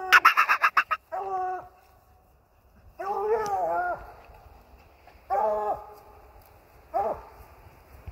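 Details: English Bluetick Coonhound treeing a raccoon off a deer feeder: a short burst of rapid choppy barks, then drawn-out, wavering bawls that bend in pitch, repeated four times with quiet gaps between them.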